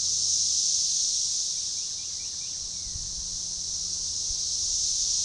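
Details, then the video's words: Periodical cicada chorus of Magicicada tredecassini, organized and synchronized, near DeValls Bluff, Arkansas, June 7, 2015, forest edge by a baseball trail: loud high sizzling drone that dips mid-clip and rebuilds, with faint chirps and a soft low thump. "Magicicada tredecassini organized chorus"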